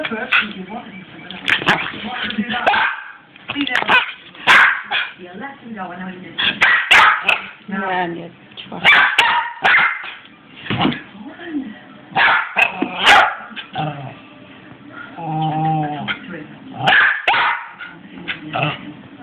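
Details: Six-month-old Cairn terrier crossed with a Westie, excitedly barking in many short, loud bursts across the recording. Human speech and some whining are mixed in.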